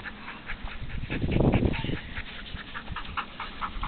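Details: During an everyday handling exercise, a Golden Retriever pants in quick, breathy bursts, with a louder, throaty huff in the middle.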